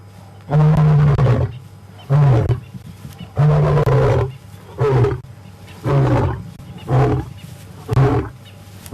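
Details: Ginger Matimba, a wild male lion, roaring during the April 4 WildEarth afternoon safari drive, coming very close to the vehicle: seven loud, deep grunting roars, each about a second long, delivered in a steady series with short pauses between them.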